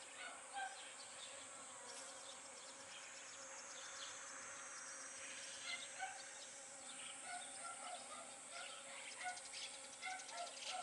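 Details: Honey bee pollinating pumpkin flowers, giving a steady low hum that runs the whole time beneath many short, scattered high chirps and ticks.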